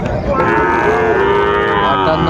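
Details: Sahiwal cattle at a cattle market in Kushtia, Bangladesh, on 16 January 2025: a long, steady, low moo with rich harmonics holds for about two seconds, with people's voices in the background.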